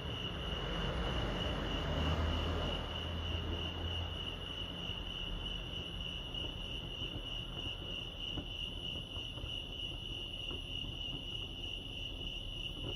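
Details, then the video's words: Lake Arrowhead crickets in California keep up an unbroken high-pitched pulsing trill, steady in pitch. A low rumbling murmur is heavier in the first few seconds, then eases. "crickets chirping lake arrowhead"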